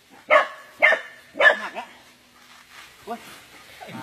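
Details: Dog being attacked by an anaconda gives three loud, harsh barks in quick succession, then falls quiet while people shout and talk in the background.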